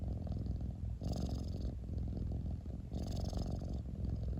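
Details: Deep purring of a cat heard very close, a buzzing low rumble carried through two breath cycles, each opening with a light breathy hiss about two seconds apart.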